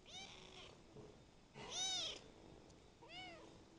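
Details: Young kitten, ten days after adoption, meowing three times: a short soft meow, a louder longer arched meow in the middle, and a final shorter meow, over faint background hiss.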